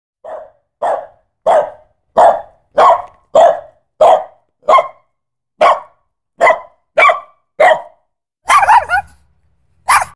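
Short, punchy barks from a Pit Bull come in a run, each about half a second apart and fairly even in pitch. Near the end a rougher, noisier burst of barking breaks the pattern.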